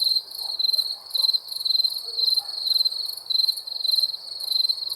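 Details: Night-time cricket chorus, shrill pulsed chirps repeating about twice per second in an even, continuous rhythm over low quiet background noise.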